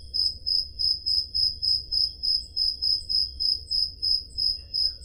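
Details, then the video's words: On a summer night in the Peloponnese, Greece, a cricket chirps steadily, short high trilled pulses repeating about three times a second. "Crickets Sound Effect"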